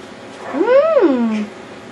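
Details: Yorkshire Terrier puppy at wild play gives one drawn-out whine that rises, peaks, then slides down into a lower held tone, lasting under a second, with a quiet room behind it.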